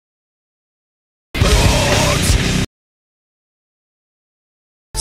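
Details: A burst of loud music with heavy bass lasts just over a second, then silence, and a brief blast of sound at the very end; no animal is heard.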